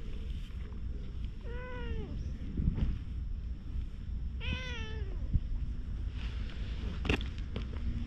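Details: Two clear, rising-then-falling meows from a stray cat, about three seconds apart, captured on a GoPro against a low continuous hum and faint scuffing noises.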